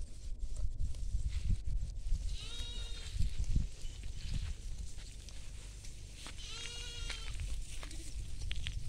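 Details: Goats and sheep feeding in a field; two clear quavering bleats, the second longer and shakier, over constant low wind noise and grazing rustle.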